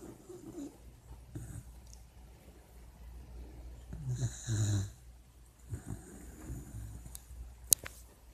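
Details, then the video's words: A puppy named Chanel snoring while asleep and dreaming: faint, low, rough snores and breaths repeat every second or so, with one stronger wheezy snore midway and a brief sharp click near the end. "Puppy dreams and snoring"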